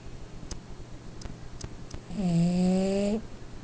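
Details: French Bulldog taking a nap indoors, snoring in fast, regular, low rumbling pulses with a few sharp clicks, followed by a sustained, falling voice-like tone lasting about a second.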